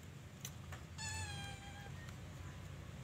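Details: Pet Persian cat that gave birth to kittens in the morning, heard in a single clear, drawn-out meow lasting about a second with a steady, slightly falling pitch and rich overtones, over a low background hum.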